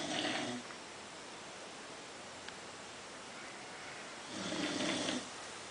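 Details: Sleeping female American Bulldog Marly snores indoors: one rough breath at the start, a long quiet pause, then a second raspy snore lasting close to a second.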